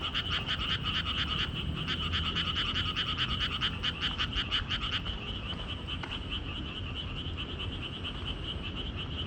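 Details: Frogs on a walking trail: a loud burst of rapid, rattling croaks fills the first five seconds, then fades to a softer, steady trilling chorus with a faint low hum.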